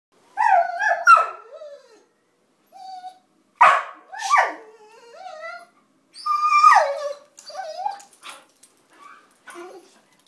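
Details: Loretta, a basenji mix, "sings" with warbling, yodel-like vocalizations that rise and fall in pitch, in bursts.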